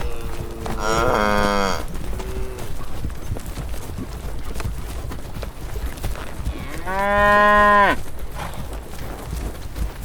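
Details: Cattle grazing in a green countryside field under soft sunlight give two loud, drawn-out moos several seconds apart, each a rich harmonic bellow that swells and then drops away, over a low steady outdoor rumble.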